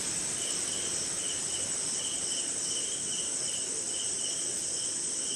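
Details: Crickets at night in the rain, somewhere in India; a continuous shrill trill overlaid by lower chirps pulsing about twice a second, irregularly spaced, with a gentle wash of rainfall throughout.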